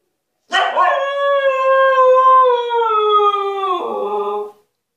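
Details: Punished female Husky Altezza, demanding freedom from her enclosure, opens with a rough burst, holds a long even howl that gradually sinks, then drops abruptly to a lower tone before stopping.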